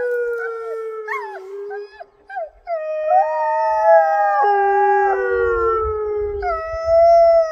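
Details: Several wolfdogs howl together in long, sliding, overlapping notes that rise and fall, seemingly reacting to hearing their own echo.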